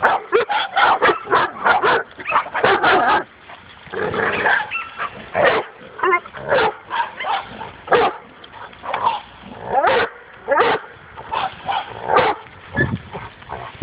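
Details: A dog on its first encounter with a wild boar barks excitedly in fast, dense runs of sharp yaps. The barks come in near-continuous volleys with a short pause midway before resuming.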